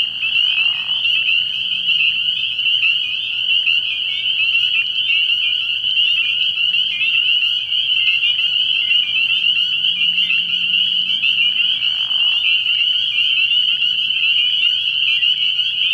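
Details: Spring peepers chorusing at a frog pond at night early in the year, a constant high-pitched shrill of overlapping peeps, with two brief lower bursts near the beginning and two-thirds through.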